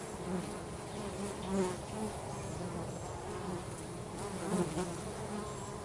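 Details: Dense humming of many bees busy at work around their home, a steady low drone with wavering tones and small swells as single bees come nearer.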